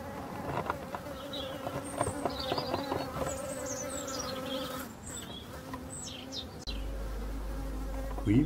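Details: Honey bee drones in front of a queenless, drone-laying hive on 5 February 2022 fly past in a low, heavy hum, deeper than workers' buzzing, while a robin sings thin and high and a man speaks briefly.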